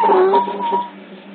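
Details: Otter pups at Hertfordshire Zoo, caught on a hidden CCTV camera: a single thin, whistled whine with strong overtones, starting slightly wavering then holding level for about a second before fading, over a steady low electrical hum.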